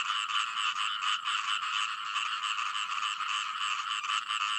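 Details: Chorus of frogs producing fast, grating croaks at roughly 86 pulses a minute, layered into an unbroken buzzing wall of sound.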